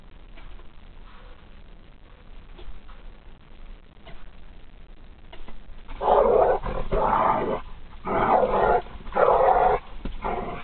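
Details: Harley and Lily, a pitbull and a dachshund, in a fight: about six seconds of quiet scuffling, then loud harsh growling bursts repeating roughly once a second.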